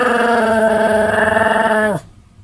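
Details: Rather hearty snore from a Pomeranian called Sam-chan, 31 July 2015: one steady, harsh, buzzing drone lasting about two seconds that sags in pitch at the end before cutting off into near silence.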